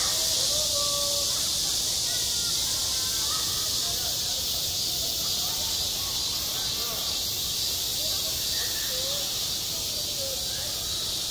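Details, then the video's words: Cicada chorus on a summer school playground: a constant shrill buzzing wash, unchanging in level, under which brief faint whistled notes come and go. "한 여름 운동장에서 매미가 울고 있다 - 여름의 소리, 학교 종소리, 매미 울음소리"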